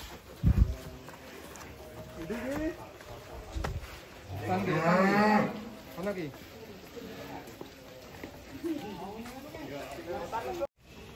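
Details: Giant cattle being unloaded from a truck in Indonesia, 2025: a loud drawn-out moo with stacked harmonics rises midway, with shorter lowing calls and shouting handlers around it amid thumps and truck noise.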